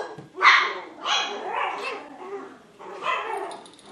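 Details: Seven-week-old Poodle puppies Honey and Emma, full of energy, produce three loud, bright barks with rough, harmonic tones, spaced about a second apart, the last followed by a softer yelp.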